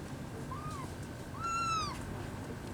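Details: Rescued kitten missing one leg mewing twice: a faint short cry followed by a louder, drawn-out meow that climbs then slides down, with a quiet background hum.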